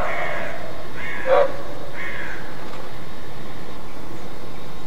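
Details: A single sharp, husky bark from a roe deer in alarm, with fainter rough barks around it and steady background hiss.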